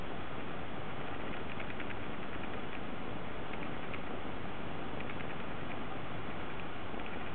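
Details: Affectionate Munchkin cat eager to settle on a lap, giving a continuous deep purr recorded extremely close, a thick low rumble with a faint rhythmic flutter, muffled and overloaded throughout.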